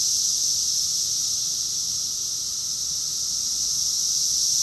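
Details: Cicadas in chorus, Rockville, Maryland, USA, recorded June 2021: an unbroken high, sizzling buzz held at an even level throughout, with nothing else audible.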